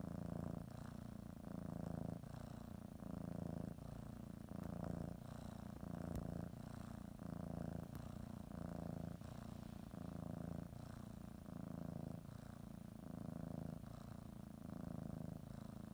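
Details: Domestic cat purring steadily while preparing for a morning nap, kneading and biting a blanket; low rumbling purr in even breathing cycles of roughly one to two seconds, each inhale and exhale phase audible, quiet indoor setting.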